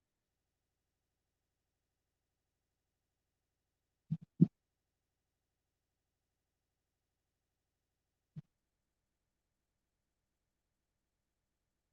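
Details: Near silence broken by a few brief low thumps, with no animal voice heard. The knocks come in a quick pair and then a single one several seconds later.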